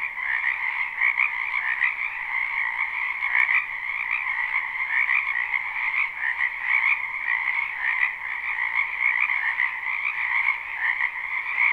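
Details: Live, unlooped recording of frogs in a spring wetland near a home: an even, dense chorus of trilled croaks holding two steady pitch bands, with a faint brief click near four seconds.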